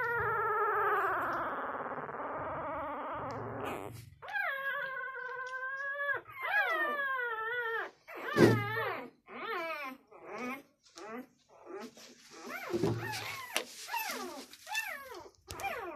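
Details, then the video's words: Six-day-old Labrador Retriever puppy: after a few seconds of low grumbling, a series of high, harmonic whines and squeals, some held steady, others sliding up and down, in quick irregular bursts. "6 day old labrador puppy sss.."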